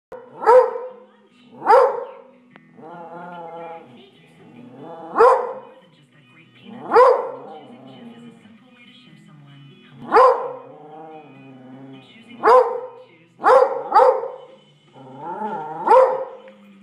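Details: Redbone Coonhound indoors barking at a squirrel through the window: sharp, loud single barks roughly every one to two seconds, with a quick double bark near the end and drawn-out, tonal whining or voice-like sounds between them.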